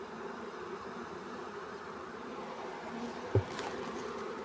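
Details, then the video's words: Honey bee swarm during capture; continuous even buzzing drone, with a brief sharp knock near the end. "honey bees swarm catch easily"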